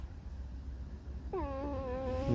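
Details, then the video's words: Pet red fox kept indoors, its creaking, mournful singing: after a second of low hum, one sustained, slightly wavering, nasal whine with rich harmonics that dips and holds level for about a second, over a steady low background drone. "Lis Alicji. Skrzypi, śpiewa smutny piosenkę / Алиса лиса . Скрипит, поет заунывную песню"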